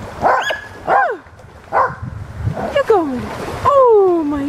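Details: A fearful puppy hesitates at the water's edge, letting out a series of short arched yelps. These are followed by longer whimpers that slide steadily downward in pitch, with a person speaking nearby.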